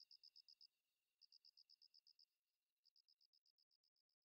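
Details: Umaoi katydid giving its idling call. Soft, evenly spaced high ticks come about eight per second in short runs, with a brief pause between runs. The final run speeds up slightly.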